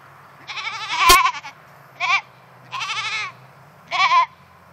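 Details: Penned by themselves in a new fence, goats give four wavering bleats in under five seconds, alternating longer and shorter cries, with one sharp knock during the first call.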